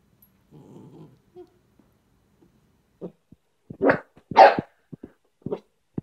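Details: Dachshund, a pet dog, growling low then giving a few sharp barks, the loudest bursts near the middle, with short gaps of quiet between the sounds.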